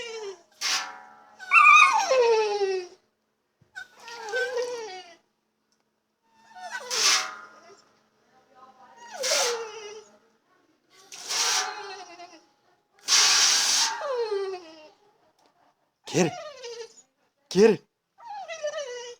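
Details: Female dog whining in frustration, unable to get to water she likes to bite at; a long run of short descending whines broken by breathy snorts and huffs, roughly one every one to two seconds, in a small room.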